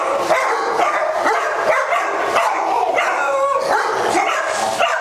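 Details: Dogs playing with the zoomies at a Las Vegas doggie day care, October 5, 2009; a loud jumble of barks, including some clear short rising yelps, sounds over steady background din.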